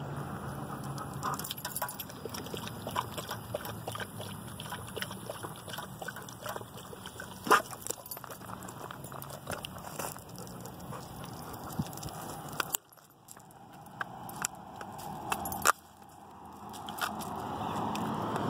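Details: A hot female Weimaraner, trained as a puppy to drink from fountains and bottles, laps and slurps water in quick, wet, splashy bursts while a person speaks briefly.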